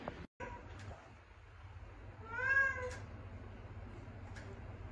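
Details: A rescued stray cat, sick and not eating, gives one clear, drawn-out, rising-then-falling meow about a second long, against a low steady hum in a quiet room.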